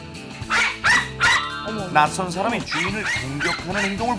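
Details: A pet poodle barks in sharp, harsh bursts, agitated and much more heated than its earlier playful barking, in an experiment on dogs reading their owner's distress, with a narrator's voice and music behind.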